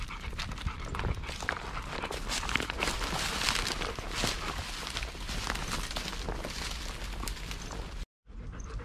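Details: Golden Retriever panting on a walk with seven Golden Retrievers, aged two to nearly eleven, at Ain village on 25 March 2021; quick breathy huffs blend with footsteps and rustling, and the sound cuts out briefly near the end.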